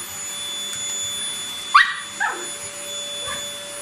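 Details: Toy Poodle, one year eleven months old, in a cheerful mood at vacuuming time at home: two short, high yipping barks rising in pitch, then a softer third yelp, over the steady whine and tonal hum of a running vacuum cleaner.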